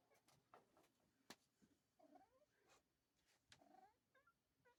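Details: Bengal cat sneezing indoors: sharp, sudden bursts of breathy noise at about one and a half seconds and three and a half seconds, with short, soft mewing chirps in between and low room hush.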